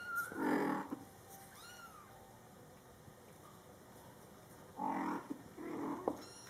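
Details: Mother cat Coco talking to her meowing Scottish Fold kittens, born July 22, 2012: a loud low meow opens, thin rising kitten mews follow, then two more meows near the end.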